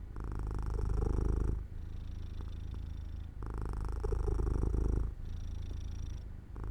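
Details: Domestic cat falling asleep in the sun beside an open window, giving a steady low purr; the rumble rises and falls in alternating loud and soft stretches of about one and a half seconds, very even in pace.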